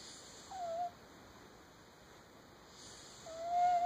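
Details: Sleeping pet cat with sleep apnea snoring indoors: two soft breathy breaths, each carrying a short, slightly falling whistled tone, separated by a quiet pause of about two seconds.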